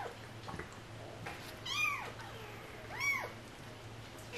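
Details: Stray cat family with kittens: two clear arched meows, each rising and falling, about a second apart, over a steady low hum.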